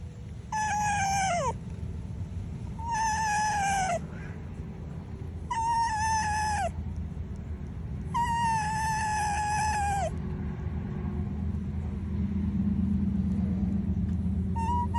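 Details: A fox gives happy, high, tonal whines while being scratched; they hold steady and then drop, repeated every few seconds.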